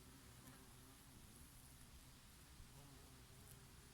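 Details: Summer bees working oregano blossoms: a dense, even insect drone with faint wavering tones from nearby wings, steady throughout, mixed with a light breeze.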